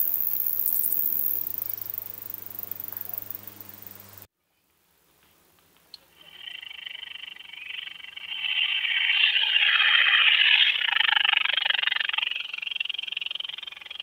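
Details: A short-winged conehead (Conocephalus dorsalis) sings in Hirschau, Germany, on 27 July 2019, a long, thin, high-pitched hissing buzz that swells and fades; recording noise-reduced.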